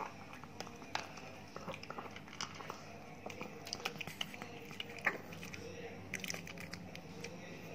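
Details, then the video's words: A big Chihuahua named Ted, at home in Indonesia, chews his new dog food. A steady run of dry crunching clicks and bites sounds in a small room, with faint background murmur. "ASMR DOG EATING DOG FOOD"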